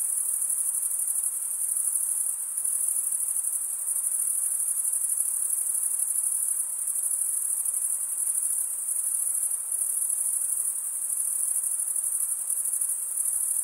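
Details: Male crickets stridulate with comb-like wing teeth, producing a thick, continuous high trill. It holds an even level throughout, with faint rhythmic flutter and a clean, quiet background.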